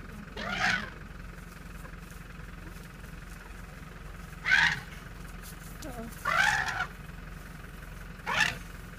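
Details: A young African elephant in Kruger flares up at car noises with four short, harsh, brassy trumpeting blasts, each under a second, at uneven two-to-four-second gaps, before returning to its family; a low engine-like hum runs faintly underneath.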